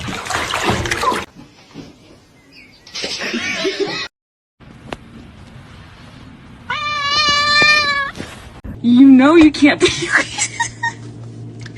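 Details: Domestic cat giving a drawn-out, wavering meow lasting over a second, preceded by bursts of human speech and followed by a rougher, lower vocal with voices in the background.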